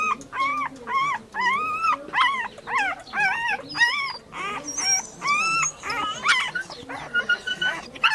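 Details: Puppy among dogs giving a run of clear, arched whining yelps about twice a second, each rising then falling in pitch, steady and close, with fainter higher squeals near the end.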